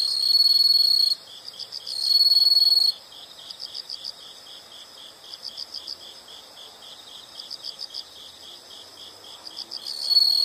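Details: Insects calling: two short bursts of intense high trilling near the start and another beginning at the end, with a steady pulse of soft rapid chirps between them.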